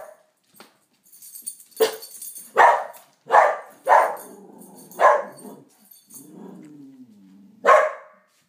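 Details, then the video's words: A Pharaoh Hound barks at the neighbours in sharp, loud bursts, with low grumbling between the barks. "Cute Pharoah Hound Dog Barking"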